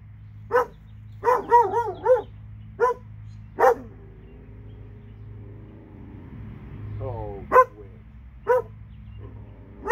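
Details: Two dogs in Alabama barking in short sharp bursts, some quick runs of three or four barks, against a steady low hum, with a faint voice-like sound near the seventh second.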